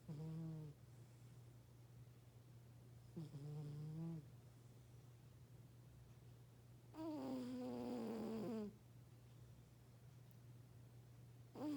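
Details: Lucy, the oldest pet cat of the household, snoring loudly while asleep: three drawn-out, voiced snores several seconds apart, the third longer and sliding down in pitch, over a steady low hum.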